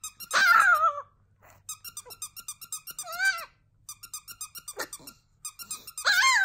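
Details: Chihuahua Cedric indoors giving his first ever howling song: short wavering howls that fall in pitch at the start, near three seconds and at the end, separated by quieter stretches of rapid rhythmic pulsing.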